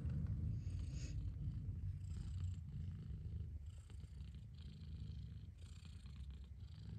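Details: Strong, close purring of a mother cat: a thick low rumble pulsing rapidly and evenly across the whole stretch, with faint hiss-like breathing above.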